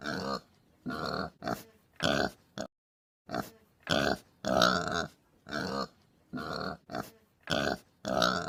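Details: Domestic pig giving short harmonic grunts in a steady run, each lasting about half a second with brief pauses between, roughly a dozen bursts, with one longer gap midway and no other sounds.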